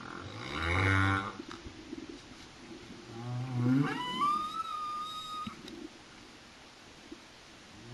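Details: Underwater off Réunion, a humpback whale sings: a low harmonic groan at one second, a rising grunt near four seconds, then a clear whistled upsweep levelling into a sustained high tone, fading into quiet sea hiss.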